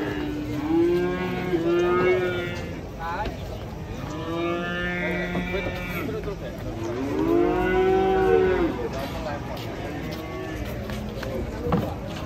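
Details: Chorus of cattle moos, long bending calls that swell and fade in three main waves, with many animals calling at once and faint background chatter.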